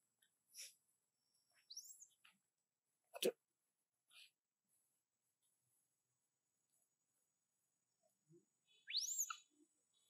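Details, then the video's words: Monkey named Baloo using a small sound to ask for more food: thin, very high rising squeaks, one brief early and a louder one near the end, with scattered clicks and a sharp tap between. "Monkey Baloo used his small sound to ask for more food to eat"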